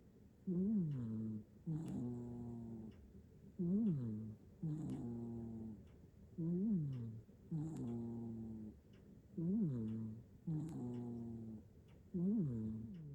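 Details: Sleeping tuxedo cat in Japan snoring deeply, recorded on a phone; regular low buzzing snores, a short rising-falling inhaled tone then a longer steady droning breath, repeating roughly every three seconds, about eight snores in all.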